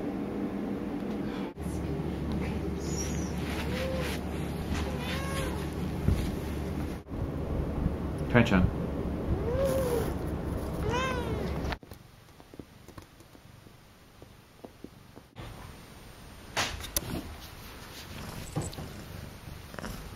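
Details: A female pet cat named Akari, in her first two months at home, meows repeatedly in short bent cries over a steady low indoor hum, mixed with people talking, before the room falls quieter.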